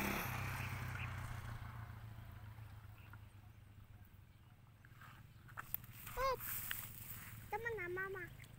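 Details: Two quavering goat bleats, the second longer and wobbling in pitch, as the animal is offered a drink; low rumbling background noise and faint voices outdoors.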